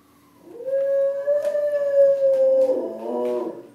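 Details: Pet dog howling in response to sirens: a long, steady, drawn-out tone held for about two seconds, then breaking into a wavering, lower, rougher ending.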